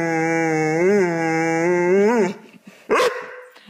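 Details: Indoor pet dog, told not to bark, gives a sustained moaning howl with two brief upward pitch swoops, then falls quiet and lets out one short sharp yip near the end.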